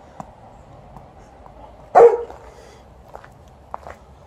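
A Golden Retriever gives a single loud, deep bark against a quiet background.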